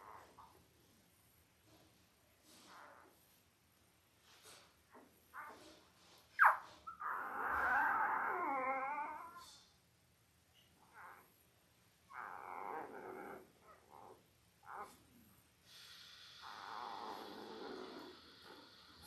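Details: Five-day-old Labrador Retriever puppies from Belle's litter of eight, five males and three females, born October 15, 2023, indoors; scattered short squeaks, then a long wavering harmonic squeal and later whining cries over a quiet hum.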